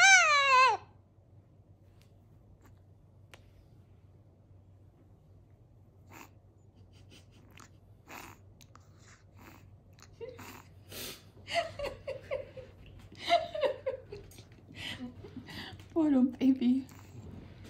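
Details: Cedric the Chihuahua howls a love song to his ducky towel indoors: a loud, sharply falling harmonic yelp opens, then near silence, then from midway a run of wavering, whining howls rising and falling in short bursts.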